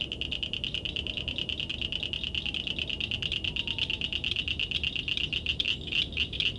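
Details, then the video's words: Night-time frog or toad call: a steady, fast, rattling trill of high pulses that runs unbroken throughout, over faint low-frequency background noise. "Frogs & Toads wide variety of sounds"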